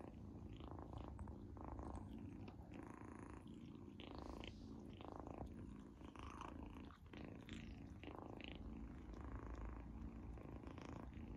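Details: Izzy the kitten purrs over her first-ever treat, which she loves; a continuous low rumble carries the whole stretch, overlaid with wet chewing and smacking sounds in bursts every second or so.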